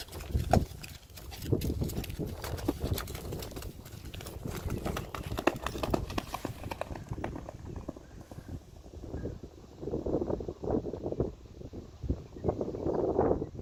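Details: Friesian horses from a herd being led outside, stopping to eat on the way; irregular clip-clop hoofbeats and low thuds throughout, with quieter shuffling and muffled rustling in the second half.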